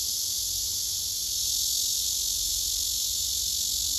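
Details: Cicadas lined up on a tree, one large one possibly a female of Cryptotympana, give a steady, high, hissing drone that runs unbroken without pause.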